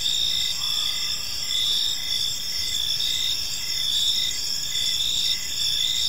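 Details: High, bright chirping of crickets fills an evening park, several overlapping callers forming a steady ringing chorus with gentle swells in loudness and a soft low background hum.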